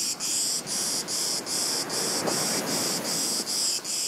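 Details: High, rasping cicada song from a hidden insect near a beach: continuous buzzy pulses repeating roughly two to three times per second, steady and loud.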